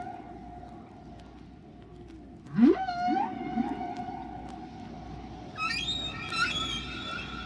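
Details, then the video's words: A single humpback whale singing at natural speed and pitch, as other whales hear it: a swooping upward whoop, a sustained tone, then high squeaky upsweeping notes over a steady low hum and rumble. "Here is part of the same song played at its natural speed and pitch, just the way other whales hear it. All the sounds are made by one whale,"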